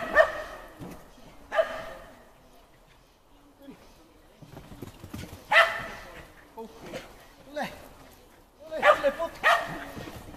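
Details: Agility practice with Shetland Sheepdog Timmy on the 4th of July: high, sharp single barks and quick pairs recur every few seconds, with spoken handler commands in the gaps.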